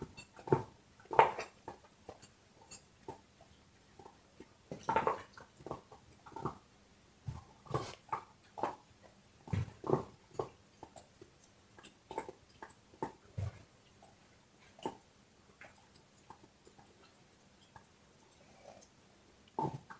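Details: Indoors, a dog gnaws on a bone, giving scattered sharp crunches and clicking bites spread unevenly over twenty seconds, with brief louder bursts and quiet gaps between them.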